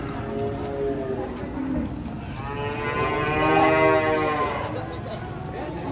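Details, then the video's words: Cattle being unloaded from a truck; a long, loud, drawn-out moo with rich layered tones rises and swells in the middle, over steady engine-like rumble and background noise. "SAPI LUCU TURUN DARI TRUK BANTENG UNIK"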